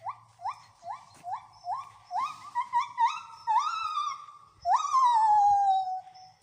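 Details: Gibbons at the Wales Ape and Monkey Sanctuary sing a series of quick rising hoots that lengthen into long, swooping wails.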